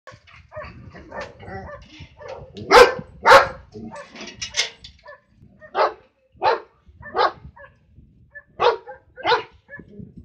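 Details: A Flat-coated Retriever barks at cows in sharp, loud bursts, some doubled, spaced roughly half a second to a second apart.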